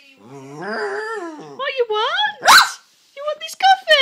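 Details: Pet Jack Russell terrier, female, grumbling at her owner because she wants the owner's coffee: a drawn-out whining moan that rises and falls in pitch, followed by shorter yelpy whines, with a woman talking over it.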